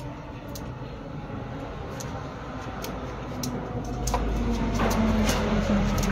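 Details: Steady broadband hum with faint rapid ticking and a low rumble swelling near the end, no animal voice.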